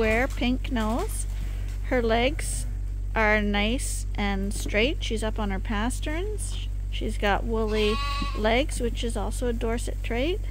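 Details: Lambs that are bottle-fed as a top-up at Ewetopia Farms give short, separate bleats in quick succession, each a wavering, harmonic cry. A person speaks nearby and a low steady hum runs underneath.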